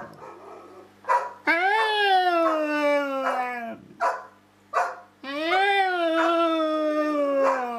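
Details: A dog holding a long conversation with a person, voicing long, slowly falling howl-like moans interrupted by brief sharp yips, with faint speech and music in the background.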